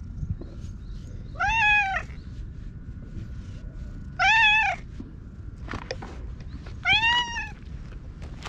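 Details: Free-roaming orange tabby cat talking in meows as it rubs against someone, filmed with a GoPro; three strong, evenly spaced arched meows about every two to three seconds, with a faint steady hum and low background rumble.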